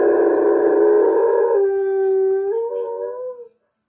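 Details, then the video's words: Weimaraner howling because it wants attention, a long sustained tonal howl that holds steady, then slides upward in pitch near the end and fades out, followed by silence. "Weimaraner wants attention"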